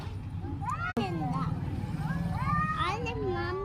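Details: Cats crying with wavering, rising and falling meows, several overlapping cries in a row. A low engine rumble runs underneath, with a sharp click near the start and people talking nearby.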